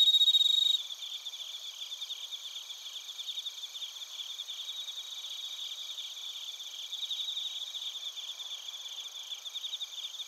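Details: Insect night chorus of crickets and bell crickets in Narita, Chiba, Japan: a brief loud pure ringing note at the start, then a layered high trilling with pulses repeated about four times a second.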